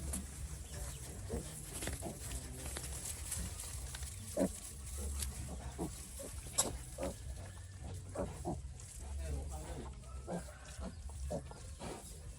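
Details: Sick piglet on a farm, described as ill since it was small, giving short low grunts scattered through the recording, some louder snorts around the middle, over a steady low hum and occasional human voices.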